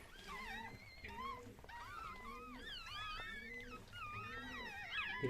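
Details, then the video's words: Chihuahua giving birth for the first time indoors, the mother one and a half years old; several overlapping high, wavering whines and squeaks slide up and down in quick succession, with faint voices in the background. "chihuahua doğum anı"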